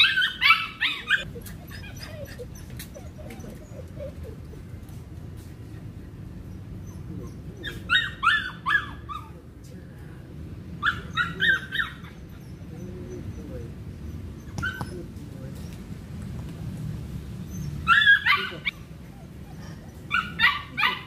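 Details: Belgian Malinois during cone training, giving short harsh barks in brief clusters: one near the start, two more around eight and eleven seconds, and others near eighteen and twenty seconds, over a low steady background rumble.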